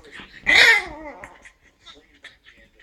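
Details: Pug puppy Marley, busy with a beer can, lets out one loud, high yelp that slides downward into a drawn-out whine, followed by quiet clicks and faint shuffling.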